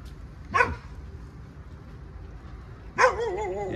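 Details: A mother dog standing near people and her sleeping forest puppies barks twice, short rough harmonic bursts about two and a half seconds apart, the second trailing into a wavering, slightly whiny tone over faint hiss.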